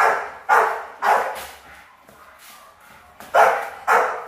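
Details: Rottweiler puppies destined for guard work bark during training, a few strong barks, then a brief lull of softer sounds before two more forceful barks.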